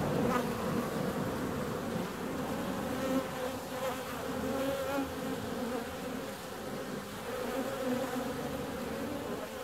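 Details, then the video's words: Honey bee flying out on a warm February day: a steady, low droning hum with layered overtones, swelling and fading slightly as the insect moves, over a faint background rumble. "Bee's out on a warm February day."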